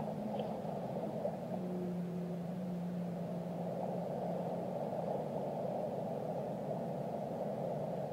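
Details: Whale song: a steady low moaning tone, joined by a fainter higher tone for about three seconds, then fading. It sits over a constant broad wash of underwater noise.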